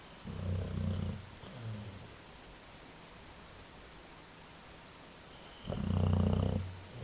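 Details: Sleeping dog snoring loudly: deep, rough, low rumbling snores in short bursts, two close together, then a long quiet gap before a louder one.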